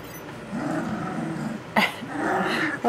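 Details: Nearly three-week-old puppies, one a little female, play-fight with wobbly, low, rumbling growls rising and falling over about a second each, broken by a sharp sudden burst of noise near the end.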